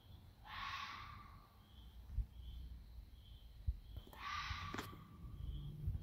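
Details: Neighbourhood red foxes out for a ramble at night give two harsh, raspy screams about three seconds apart over a low rumble of background noise.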